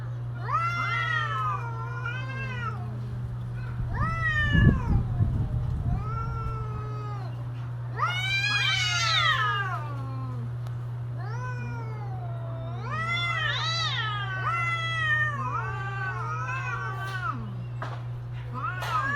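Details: Mating-season cats calling back and forth in a string of arching, warbling yowls, some rising sharply to shrill peaks, with a brief thump partway through and a constant low electrical hum.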